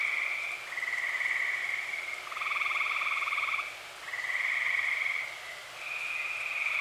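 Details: Tree frogs calling together on an early summer night in Eastern Pennsylvania; a series of overlapping trills, each around a second long, with one caller following another and brief dips between.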